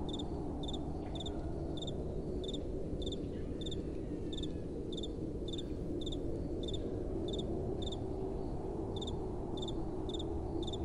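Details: Crickets at night with a soft wind blowing: short, high double-pulsed chirps repeat steadily about twice a second over a constant low rumble of wind.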